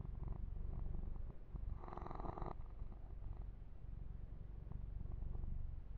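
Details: Young male house kitten purring during a close-up massage, a deep fluttering rumble with quick even beats, interrupted briefly near two seconds by a loud rustle of fur grooming.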